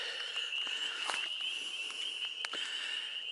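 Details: Breeding frogs in a marsh sing for their mates with a steady, high, unbroken trill, overlaid by scattered crackling snaps from footsteps on soft, boggy ground.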